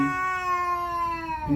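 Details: Domestic cat giving a territorial, aggressive call on seeing another cat outside: a long, steady, drawn-out moaning yowl, held at an even low pitch with rich harmonics, dipping slightly at the end.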